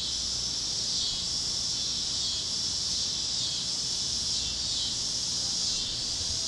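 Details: Cicadas over Kansas fields at sunset, among other singing critters on a warm plains evening; a constant high-pitched sizzling drone with only gentle swells in loudness.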